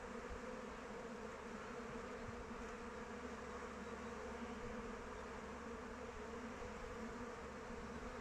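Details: Swarm-like hum of honey bees flying about the hive in open weather, a loud, even, rich drone filling the low and middle range, with some low rumble underneath.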